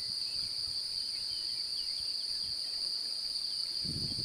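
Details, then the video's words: Courting male cricket, a female appearing interested, sings by rubbing its wing covers: one sustained, even high trill without pauses, over faint low rumbles and light bird twitters. "Grillon mâle cherche a s’accoupler et chante"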